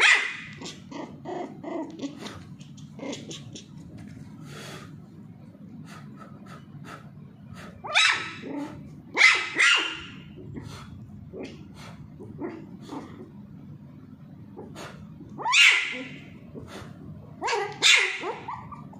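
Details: Teased Pomeranian puppy Charlie at play with a ball: bursts of high, rasping barks, often doubled, spread among many quick clicking and tapping noises across the recording.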